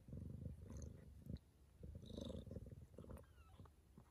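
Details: Bengal cat mother purring during the birth of her litter at home, first kitten arriving at 6:30 am. Rhythmic low purr in regular pulses, pausing briefly, with faint light clicks.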